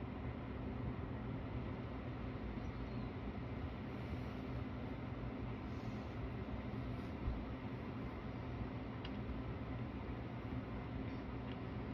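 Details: Steady low rumble of room or vehicle noise runs throughout, with no animal voice heard.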